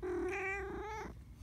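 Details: Pet cat answering while being talked to, giving one drawn-out meow of about a second that holds a steady tone and then bends slightly upward before breaking off, followed by quiet room hush.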